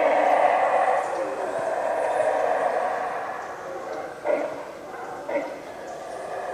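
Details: Howler monkeys roaring at the Yaxchilan ruins in the morning, a loud, sustained, droning harmonic roar that continues throughout, with two brief sharper bursts near the end.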